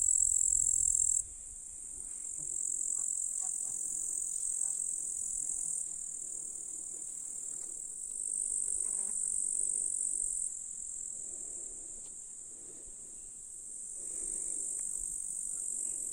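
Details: July grasshoppers in Russian countryside meadows near a lake, a continuous high buzzing chorus whose loudness steps up and down several times, with a brief low rumble at the start.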